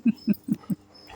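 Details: Labrador Retriever named Prince, being scolded after going out to the street, answers with four short, low, grunting woofs spaced about a fifth of a second apart, followed by a quiet pause.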